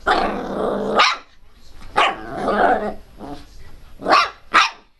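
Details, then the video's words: Pet Pinscher Teco growls in long harsh snarls between sharp, piercing high barks, two close barks at the end. "pinscher latindo bravo - pinscher latindo alto - cachorro pinscher latindo"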